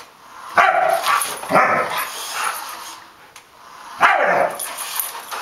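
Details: A household Samoyed pursued by a remote-controlled armadillo lets out loud, harsh barks, two close together near the start and another after a pause of about two seconds, over faint scraping noise.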